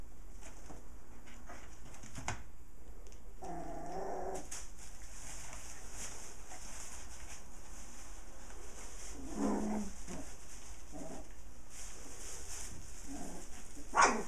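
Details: Puppies at play, one of a litter of six with their mother nearby; a brief wavering whine rises out of steady indoor rustling, followed by scattered scuffles, thumps and a sharp knock at the end.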